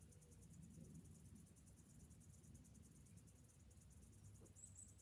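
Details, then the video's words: Cicadas singing on a summer morning: a steady, high, pulsing buzz runs throughout, over a low background rumble. "Morning summer cicadas sounds"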